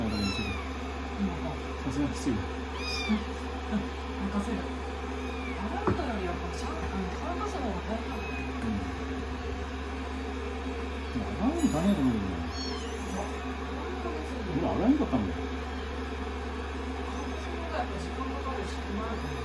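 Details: Young rescued kittens fussing on a lap during blow-drying after a shampoo, day 16; repeated high wavering mews, some overlapping, scattered across the stretch, with a woman talking and a steady dryer hum.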